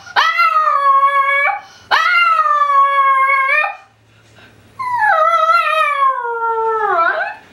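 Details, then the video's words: A pet Tibetan Spaniel's separation-anxiety alarm call when the owner leaves, a strange pain-like howl: two steady drawn-out howls of about one and a half seconds each, then a longer one sliding gradually downward in pitch. "alarm call of a Tibetan Spaniel"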